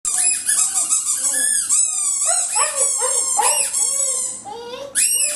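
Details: Butch, a pet dog indoors, yelps and howls in short, wavering bursts in reply to a loud, shrill squeaky ball that squeals in rapid high squeaks almost throughout.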